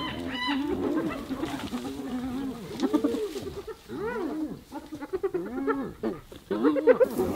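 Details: Hyenas attacking another hyena, giving separate rising-and-falling whining yelps and squeals, some short and clipped, others drawn out, with brief quieter gaps between bursts.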